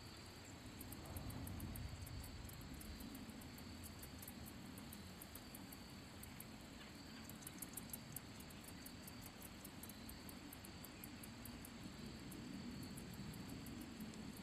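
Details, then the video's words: Handsome meadow katydid (Orchelimum pulchellum) singing by rubbing its wings: very high, thin ticks repeated several times a second, with denser buzzy runs midway, over a steady low rumble like distant traffic. "Katydid making noise / sound / chirping | Handsome meadow"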